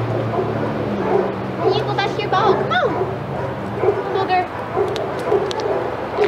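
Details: Senior dogs in the outside yard at Old Friends Senior Dog Sanctuary go wild as Titus passes: a burst of high, yelping barks and whiny yips in the middle, with a steady low drone and people talking underneath.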